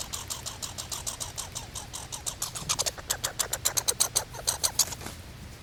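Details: Squirrel giving rapid, dry, high-pitched ticking notes that speed up into a quick rattling burst in the second half, against a faint low background hum.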